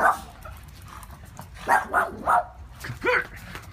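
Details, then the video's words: Scared Boston Terrier giving a string of short, sharp, high yapping barks, about five in quick bursts, one ending in a rising yip, indoors. "Boston terrier scared"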